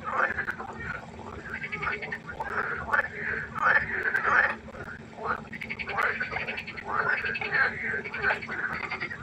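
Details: Frogs calling at night beside a pond, a dense concert of overlapping croaking bursts that swell and fade in waves, harmonics stacked upward, with a constant low hum in the background.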